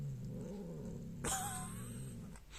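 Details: Domestic cat growling while eating: a low, steady, rumbling growl with faint harmonics for over a second, then a sharp broadband noise with a brief higher tone over it, and the growl continuing underneath.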